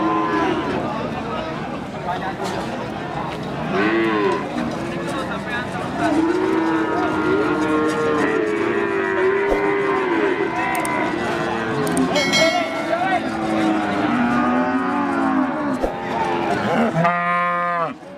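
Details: Limousin cows, females that have calved once, at the Pon cattle market of Jaken, Pati, Central Java. Repeated bellowing moos overlap from many animals, long and wavering in pitch, amid constant crowd noise, voices and a sharp clatter near the end.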